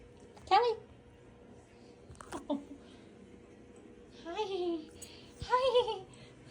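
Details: Domestic cat named Callie Mae greeting its owner after work: three short chirruped trills, rising then falling, one near the start and two close together near the end, while a person says hi and calls the cat's name indoors.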